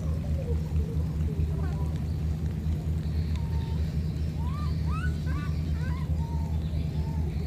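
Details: Two young monkeys cut off from each other by floodwater keep calling. Soft low wavering cries are followed by sharper upswept, harmonic squeals from four to six seconds, under a continuous low rumbling background.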